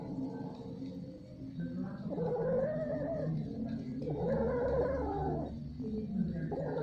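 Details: Domestic cats mating, drawn-out wavering yowls rising and falling over several seconds, overlapping low moaning tones and a steady low hum in the background.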